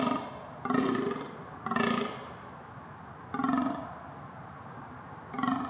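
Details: A wild red deer (Cervus elaphus), described as a mistrustful stag, gives short, hoarse, nasal calls, repeated four times at uneven intervals.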